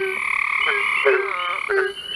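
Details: Barking Treefrogs give hollow, dog-like barks in quick succession, a couple in front and one behind, at night under a crescent moon in longleaf pine Sandhills of eastern North Carolina, amid a steady trill from southern toads and Cope's gray treefrogs.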